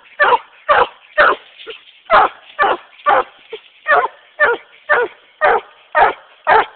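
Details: Male Treeing Walker Coonhound treeing a raccoon, giving rough, chopped barks roughly twice a second, slightly uneven in spacing, with a few faint softer yelps between the louder barks.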